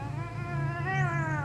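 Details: Domestic cat threatening after smelling another cat's scent on a hand: a drawn-out, tonal growl with stacked harmonics that rises and wavers slightly, while a woman speaks Thai nearby.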